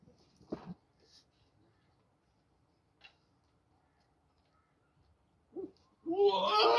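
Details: Two goats fighting over eating corn on a farm in Pakistan; a few quiet thumps and rustles, then a sudden loud, wavering, human-like scream that runs to the end.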